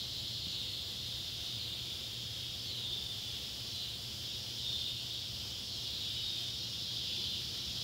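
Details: Neotibicen pruinosus and Neotibicen tibicen cicadas calling at sunset on July 31, 2013, beside an old tobacco barn in Ballard County, Kentucky; a steady, high, hissing drone fills the whole stretch, with a faint low hum beneath.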